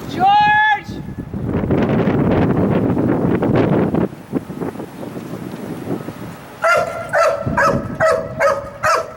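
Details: Sirius, a dog being evaluated as a wildlife detection dog candidate. After a short whistle and several seconds of noisy rustling, a run of five or six sharp harmonic barks comes in quick succession near the end.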